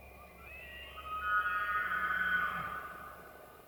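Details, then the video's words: Rutting-season elk in Arizona's White Mountains gives a bugle that climbs into a sustained high whistle, then fades, over a faint low hum. "Elk Bugles | the HAUNTING SOUND of rutting season"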